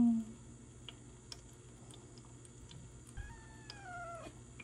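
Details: Seven-month-old Ragdoll kitten at home on its first day out of hospital after peritonitis treatment: one drawn-out meow that slides downward near the end, over a steady hum, faint music and light tapping.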